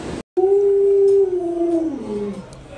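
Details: Pet Alaskan Malamute Luoluo howls after a short silence: a long level tone that slowly sags downward over two seconds and fades out, with faint voices in the background.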